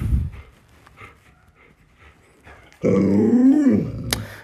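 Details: Alaskan malamute indoors, one of a group of dogs crowding their owner because they want to get into the bed. After soft background shuffling comes a loud, drawn-out moaning growl about a second long that rises then drops, ending with a sharp click.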